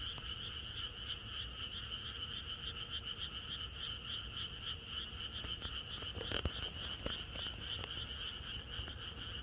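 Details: Frog chorus in the countryside on the night before rain: a dense, continuous trilling drone with two steady bands, one high and one mid, and rapid overlapping croaks. A few brief clicks and knocks come through near the middle.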